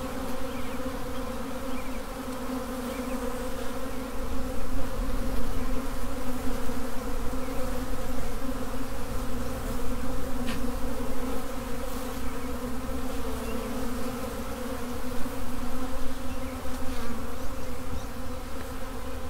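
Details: Honey bee swarm, a constant dense buzzing drone with several steady tonal layers, slightly swelling and fading in loudness.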